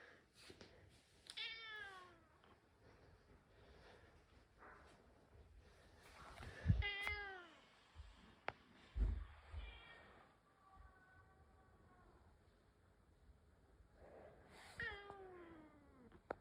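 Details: Rescued house cat talking back to a cat voice it hears indoors: a series of drawn-out, falling meows spaced several seconds apart, some longer and wavering, with soft thumps and quiet room noise between.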